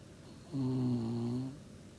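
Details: Shiba Inu dog sound asleep, snoring: a single drawn-out, low, tonal rasp about one second long, steady in pitch with a slight dip, rising from a quiet room.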